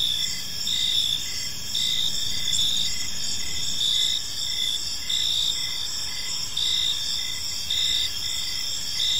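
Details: Park crickets at evening, shrill high-pitched trilling layered in bands, interrupted now and then, while a lower short chirp repeats in an even rhythm roughly twice per second, soft rumble of distant environmental noise underneath.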